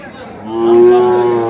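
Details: Sahiwal bull calf at the Ambari livestock market, Parbatipur, Dinajpur, Bangladesh, 5 May 2025, amid trading: one short, loud, steady moo swelling up after a quiet start and lasting about one second, with faint voices.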